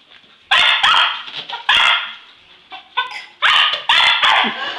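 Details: Hurley, a pet English Cocker Spaniel, chases Christmas balloons indoors with eager excitement: a string of loud, sharp, high barks in quick bursts, about five or six across the stretch, with short quiet gaps and fainter yips between.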